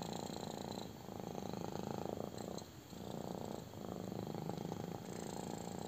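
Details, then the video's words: Kitten loving a belly rub gives loud continuous purring, a coarse low rumble with a short soft lull near the middle before resuming strongly. "CUTE KITTEN LOVES BELLY RUB! | INTENSE PURRING"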